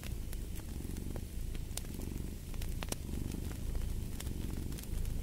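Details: Low, rolling cat purr that rises and falls with each breath cycle, accompanied by frequent bright pops and crackling from a burning fireplace.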